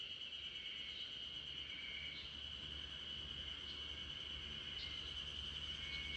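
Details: Spring cicada chorus filling a backyard where the Great Pyrenees RunRun sleeps: a constant shrill buzz with scattered faint higher chirps and a soft low background hum.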